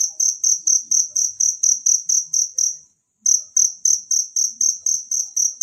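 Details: A natural cricket, recorded as a tutor sound for songbirds, chirps in high, regular pulses about four times a second, falls silent for a quarter second midway, then resumes at the same pace.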